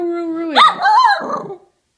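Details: A stubborn female Miniature Schnauzer puppy, scolded for chewing up scissors and a comb, talks back with a long steady whine, then breaks into a yelping, wavering bark.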